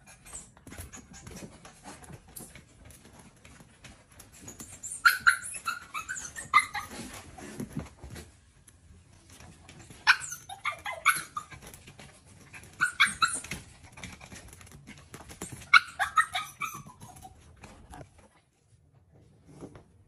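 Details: Begging for breakfast, the female puppy BoJolie jumps around the table and lets out four separate flurries of squeaky yips and whines spaced a few seconds apart, with low rumbling household noise in the background.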